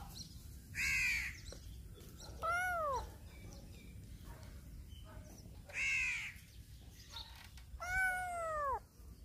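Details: A black cat meows loudly as it turns around a person, giving four separate meows about two seconds apart, each a bright, harmonic call that bends upward and then slides down, with steady low hum between calls.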